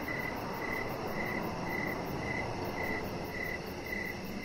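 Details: Evening crickets near a deck with a resting chihuahua; a high, even chirp repeats about every half second, joined by a thin, rapid, very high pulsing and soft background hiss.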